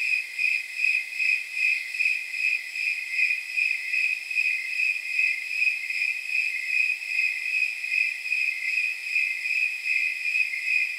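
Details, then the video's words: Snowy tree cricket chirping on a night of around 79 degrees, a jingle-bell-like, high pure chirp repeated steadily about two and a half times per second, some 28 chirps over the stretch, with a faint chorus hiss beneath. "Snowy Tree Crickets 10 Hour Sleep Sound"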